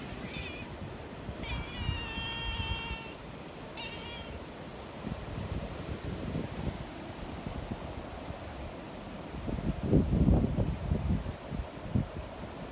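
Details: Friendly community cats in mountains under a strong windstorm: a short meow, a long wavering meow, then another short one, followed by rushing wind that swells into a loud gust.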